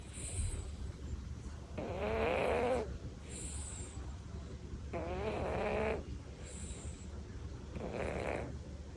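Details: Devon Rex cat Tori snoring while asleep: three drawn-out, breathy rasps with a faint tonal buzz, each lasting about a second and coming roughly every three seconds, separated by quiet pauses against a low steady background hum.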